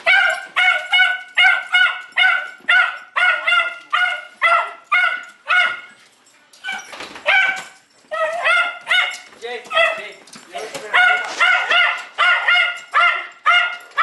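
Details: Jay, a pet Jack Russell Terrier said to have dependency issues, gives rapid high-pitched yelping barks, about two each second, each a bright harmonic yip. A brief softer, noisier stretch interrupts near the middle before the yapping resumes.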